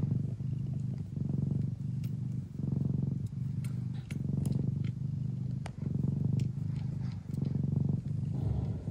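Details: Nursing Traditional Siamese mother cat Mia, at home in the Netherlands, purring hard while feeding her kittens; low rhythmic rumble in breath-length bursts, interrupted by small sharp clicks and ticks from the suckling kittens.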